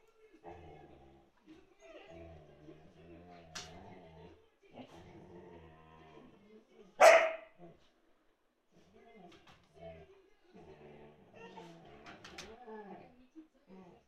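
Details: Pet Siberian Husky indoors, urging another husky to play while the other lies calmly under a sofa; drawn-out, moaning, harmonic vocal phrases in several bouts, with one sharp loud bark near the middle.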